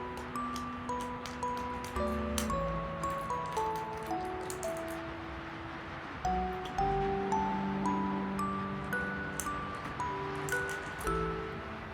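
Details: A gentle melody played on chime-like mallet notes over soft bass tones, with light rustling, and no animal sounds heard.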